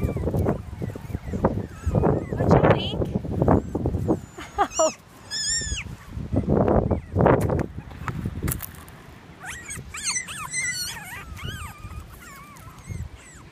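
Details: Litter of toy Australian Shepherd puppies: people talk and handling noise come first, then several short, high, wavering whines and squeaks follow one another toward the end.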